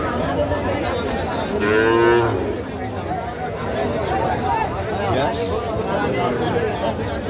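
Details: Calves for sale at a cattle market in 2023; one drawn-out, steady moo near two seconds, rising out of dense, constant crowd chatter and market noise.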